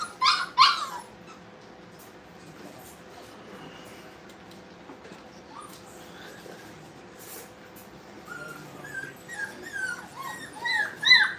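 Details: ['Brittany puppies in play at a dog training kennel. Two loud yelps come at the start, then a long near-quiet pause. A busy string of high squeaky whimpers builds toward the end.']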